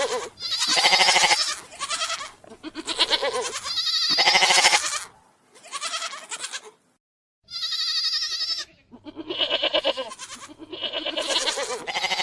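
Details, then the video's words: Long, quavering goat bleats repeated back to back, loud and nasal, some overlapping as if from more than one animal, with a short silent break midway before the calling resumes. "صوت ( الماعز ) للمونتاج"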